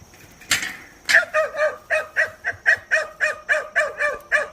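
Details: Two two-month-old Kishu-type hunting puppies, Byakko and Suzaku, seeing a wild boar for the first time. They give a fast, steady run of high, sharp yelping barks, about three per second and some fourteen in all, after one louder opening bark.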